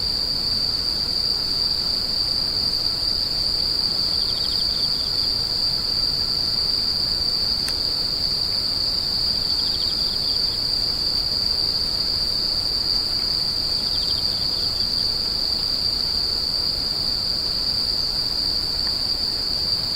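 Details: Steady high screeching from many insects runs without a break for twenty seconds, with three separate brief pulsed trill bursts rising faintly beneath it, plus a single sharp click.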